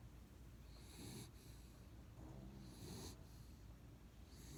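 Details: Miley, a pet dog, snoring in steady low rumbling breaths, two long inhalations with a soft hiss at the peak of each, over a quiet background.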